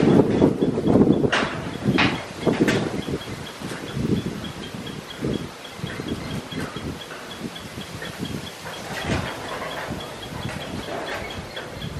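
Rumbling, clattering mechanical noise like a passing train, with no clear animal voice.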